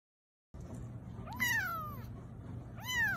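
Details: A kitten giving two clear meows after a moment of silence, the first long and sliding downward, the second shorter and rising then falling, with faint room noise behind.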